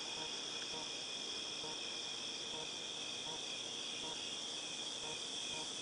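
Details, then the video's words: Cicadas recorded in August 2018, a continuous high, hissing drone with steady bands of sound, plus faint softer pulses repeating about every second in the lower range. "Cicadas Tinnitus Sound"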